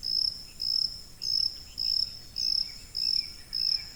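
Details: A cricket used as a high-frequency masking sound for tinnitus chirps in rapid regular pulses, seven shrill bursts in quick succession, with faint high overtones and a hushed backdrop.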